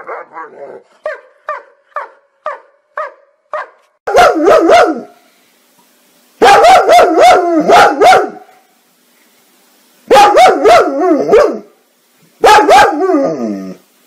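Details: Playful dogs barking out loud for fun: a quick series of short yips about twice a second, then loud bursts of warbling, howl-like barking separated by brief silences.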